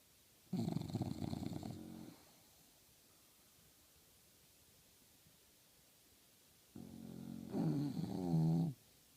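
An English Bulldog gives two loud snores about six seconds apart, each a coarse, low rumble. The second snore builds into a wobbling, flapping flutter as the loose lips vibrate.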